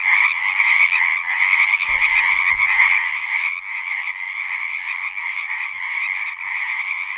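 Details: Dense chorus of frogs at a pond in a horse pasture, loud steady trilling that softens slightly after the first few seconds, with a couple of low knocks early on.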